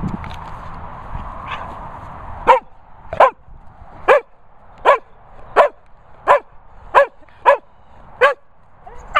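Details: Sprocker Spaniel at kennels in the Worcestershire countryside, barking repeatedly: about eleven loud, sharp barks, mostly under a second apart, after a brief quieter yelp, with a constant low hum behind.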